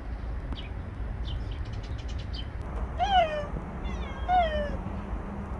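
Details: Two clear meows from Bolt, a stray cat who lived nearby for a year and five months, each rising briefly then sliding down, a second apart, preceded by faint high chirps over a low outdoor hum.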